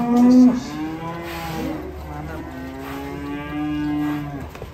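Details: Loud, long lowing from cattle during loading onto a truck: two sustained, even-pitched moos, the first strong at the start and the second held steadily before fading, over a faint background murmur.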